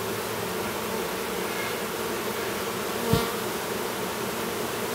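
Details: Honey bees at an apiary near Duluth, Minnesota, while a new drone chews his way out of his brood cell: a steady, even hive hum in low droning bands, broken by a single sharp tap just past the three-second mark.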